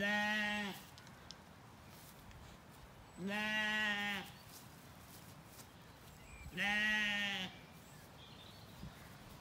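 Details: Weaned Zwartbles lambs relaxing in an Irish orchard in County Kilkenny at evening: three loud, nasal, richly harmonic bleats, each under a second, spaced about three seconds apart over a calm rural background.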